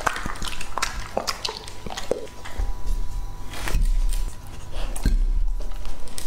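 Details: Wet squishing chews and scattered sharp crunches from Lucky, a two-and-a-half-year-old English-type Labrador Retriever eating raw food indoors, with low thuds between bites and a faint steady hum.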